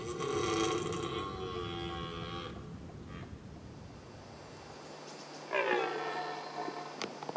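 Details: A male red deer on the Veluwe gives a long, strained, harmonic bellow, then a shorter second call after a pause, around a fatal encounter with a female. Finding: red deer.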